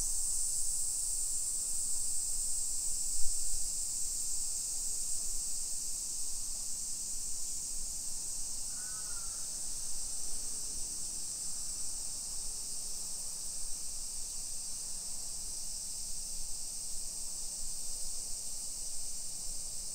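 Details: Summer cicadas in a hillside residential neighbourhood of Nisshin city, suburban Nagoya, Aichi, Japan, at 1 PM on 28 July 2021, heard during a street walk: a steady, high, hissing drone throughout, with low walking rumble and one brief bird call midway.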